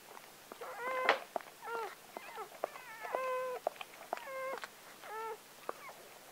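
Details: Newborn Gordon Setter puppy, number seven of nine born on October 23, 2014 to Clea, a four-year-old Gordon Setter, crying at birth: short, thin squeals in a quick, uneven run, several with a slight rise and fall.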